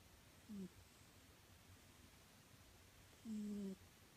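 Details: A pet cat named Nyankichi, fast asleep indoors, snoring: two short steady humming tones, a brief one then a longer drawn-out one about three seconds later, each a flat low note with a fainter overtone, in a quiet room.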